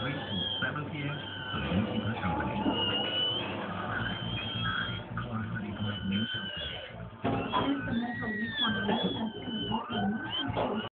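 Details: Newborn Schnauzer puppies from a caesarean litter whine for milk after the birth; several overlapping high, wavering whines and squeaks rise and fall almost without pause over a steady low background rumble.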